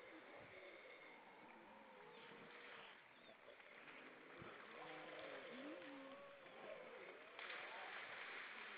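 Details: Evening song of grey seals in Estonia's Baltic Sea: several drawn-out, gently undulating tonal moans in mid pitch, overlapping one another against a steady wash of water noise.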